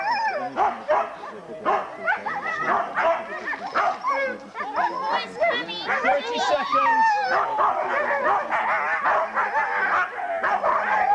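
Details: Excited huskies at a Forest of Dean sled dog race, November 2001, old VHS recording: a dense chorus of yelping, whining and rising howls from many dogs, with human voices mixed in.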